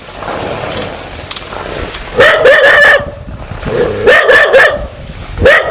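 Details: An aggressive dog wanting to bite growls and snarls in three harsh, rising bursts after a quieter rumbling start, each burst lasting about half a second to a second.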